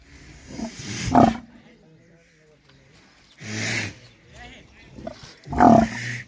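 An Ongole bull gives short, harsh, roaring bellows in three loud bursts, with people talking.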